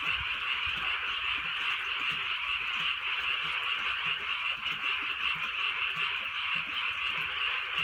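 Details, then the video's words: Countryside frogs calling at night during light rain: a continuous, thick chorus of fast trilling croaks forming an unbroken high hum, with soft rainfall in the background. "개구리 소리"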